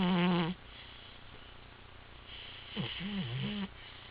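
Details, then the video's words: Pet cat napping and snoring: a brief loud, buzzy, harmonic-rich breath, then after a quiet pause a softer wavering, sliding snore. "My Cat Snores Louder Than Your Dad"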